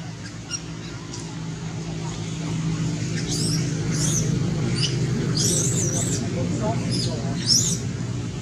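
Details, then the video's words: Baby monkey named Lori crying from hunger, asking for milk that Amari refuses; thin, high squealing cries rise and fall in a cluster of wavering bursts over a steady low hum like a running engine. "Who Understand Lori's Feeling Hungry?Amari Reject Milk Even Lori Cry For Request."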